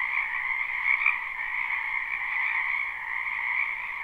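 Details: Spring frog chorus from a wetland behind a house, recorded live without looping: a dense, unbroken wall of high trilling calls in two steady bands, with slight swells around the first second and no other sounds.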